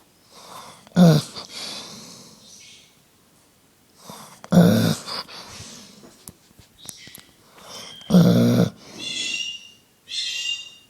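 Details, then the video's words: A sleeping Dobermann snores in deep, rasping breaths about every three and a half seconds with softer wheezy exhales between, while a Senegal parrot sings high chirps and whistles in the background; recorded 20 October 2011. "Snoring Dobermann"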